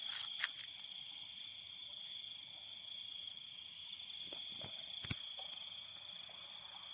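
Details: At night by the Muar River at the old Buloh Kasap bridge in Segamat, Johor, Malaysia, several crickets trill continuously in high, unbroken tones over a faint hiss of flowing water, with one or two brief sharp clicks.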